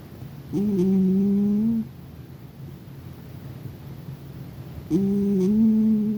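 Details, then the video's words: A domestic cat sound asleep and snoring: two drawn-out, tonal, nasal hums, each slightly rising and holding about a second, separated by a few seconds of quiet breathing in a small indoor room. "My cat was in dreamland, just snoring away"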